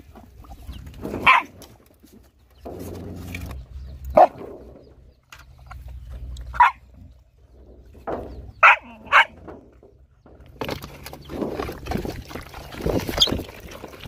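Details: Hungry, poor dogs and puppies being fed give short, sharp high yelps and whimpers, single cries spaced every one to three seconds over quiet background, then a denser burst of whining near the end.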